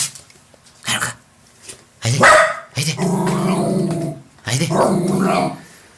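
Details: Jack Russell Terrier facing its reflection in a mirror: short sharp bark-like bursts, then long rough rumbling growls lasting over a second each, with a throaty buzzing, vibrating quality.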